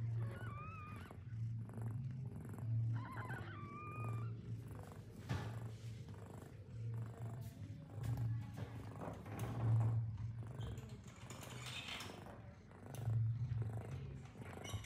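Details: A mother cat that has just given birth to kittens eats her first food, purring in a steady low rumble, with a few thin, high mews early on.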